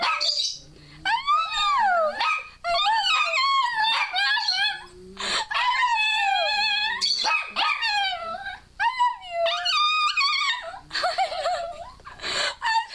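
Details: Female dog Scarlett, a household pet, 'saying' "I love you" and "I love my mama" in howled, wobbling phrases as a person squeals in the background. Sliding yodel-like syllables come in bursts with short gaps.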